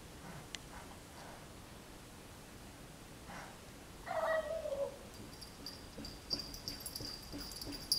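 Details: Julio, an indoor cat, calls out while wanting to play with a neighborhood cat that visits regularly; a single drawn-out, slightly falling meow sounds midway through a quiet room, followed by a thin, steady high whine and light clicks.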